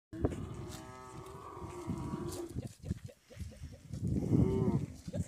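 Camels give deep, drawn-out moaning calls as courtship sounds between male and female.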